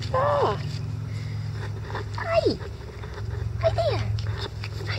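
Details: Month-old Icelandic Sheepdog puppies playing in a yard at 6 a.m. give three short, high yelps, each sliding sharply downward, spaced about 1.5 seconds apart over a steady low hum.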